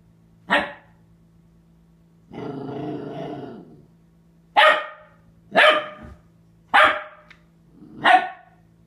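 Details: Penny, a Catahoula Leopard Dog puppy of four months, confronts her reflection in the bathroom mirror: one sharp bark, a long low growl, then four loud, evenly spaced yaps about a second apart, indoors with a steady hum.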